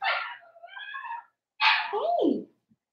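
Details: A Blenheim Cavalier King Charles Spaniel puppy in an indoor home pen, from a litter of five born at New Year's. It gives a loud, strained yelp that drawls into a wavering whine, then after a pause a second forceful yelp bends up and down in pitch.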